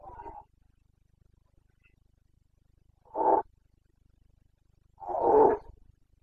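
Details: Red deer stag, Carpathian, roaring in Bucovina's mountain forests during the autumn rut; three harsh, throaty bursts, the last the longest and loudest, spaced roughly two seconds apart.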